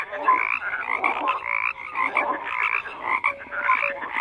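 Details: Many frogs croak together in a thick, continuous chorus of raspy pulsed calls, rising and falling in loudness, with occasional clear short whistles among them.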